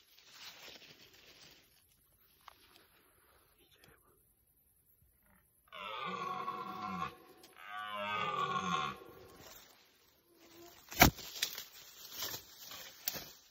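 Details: Rutting red deer stag (rykowisko) giving two loud, hoarse, harmonic roars in succession, each about one and a half seconds, after a near-silent stretch; sharp knocks and rustling follow in the final seconds.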